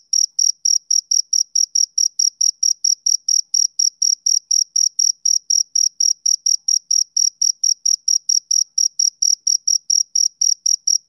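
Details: Steady chirps of a male cricket on a summer evening, sharp high notes pulsing at a brisk, regular pace of several per second, the only sound present.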